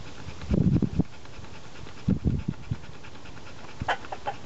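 A Labrador Retriever pants in quick, breathy bursts with short pauses between.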